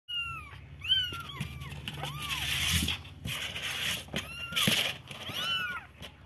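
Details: Baby kittens meowing: thin, high-pitched mews that rise and fall, several overlapping callers repeating every second or so, over a steady hissing background noise.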